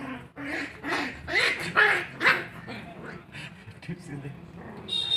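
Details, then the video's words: Puppies in an intense fight give sharp, harsh barks and yips in a quick burst near the middle, mixed with a person's voice and household noise. "Cute Puppies Intense fight| Dog fight"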